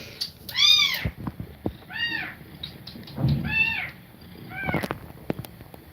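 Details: Nursing domestic cat feeding milk to kittens, breathing fast; four clear, high, curved mews spaced about a second apart, each rising then falling, with soft low rustling underneath.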